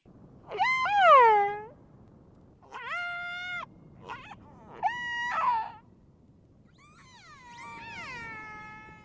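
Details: Recorded by a tag on a transient killer whale in British Columbia's inshore waters: the tagged whale likely gives the loud, harmonic, wavering calls, and fainter calls from other whales answer it.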